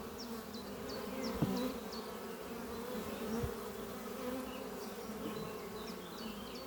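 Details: Worker honey bees flying around a horizontal hive made from an old French oak chest on a spring morning. Even, low buzzing hum throughout, with a couple of soft taps and light high chirps in the background.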